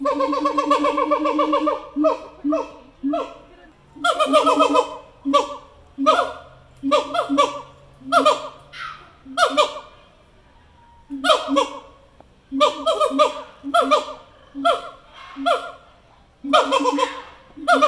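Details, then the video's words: An endangered zoo siamang pair, male and female, sing together on exhibit in a run of loud, rich, barking hoots, a song likely territorial and helping bond the pair. "Siamang Liam and Lola Sing Together for the First Time"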